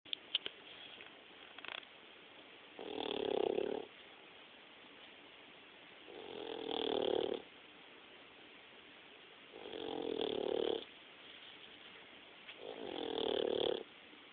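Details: Sleeping pit bull puppy snoring indoors: four slow, regular rasping snores about three seconds apart, each a breathy, buzzy swell lasting roughly a second, with quiet pauses between breaths.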